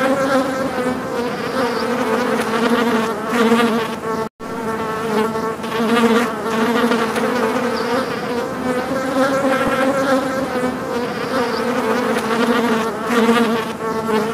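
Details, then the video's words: Housefly wing buzz described as angry flies: an unbroken, layered humming drone, cut by one sudden split-second silence near the middle, then resuming with gentle waves in volume. "the flies/angry flies sound"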